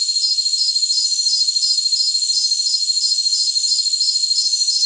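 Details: Jungle crickets chirp in a steady, high-pitched pulsing rhythm over a continuous shrill trill.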